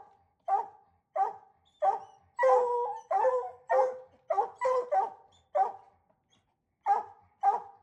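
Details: Hounds on a coon hunt bark and bawl in an irregular series, several dogs overlapping during a busy stretch, then spaced single barks after a short pause.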